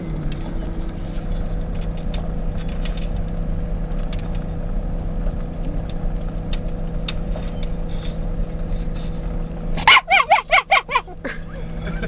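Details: Excited rat terriers barking at prairie dogs in a field in Badlands National Park, April 2008: a quick burst of about six sharp barks near the end, over a steady vehicle engine hum with faint voices.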